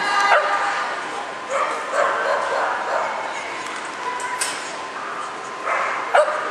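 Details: Dog at an agility trial in Hattiesburg, 19 August 2010, giving short harmonic barks in three bursts, near the start, around two seconds and at the end, over steady background voices and crowd noise.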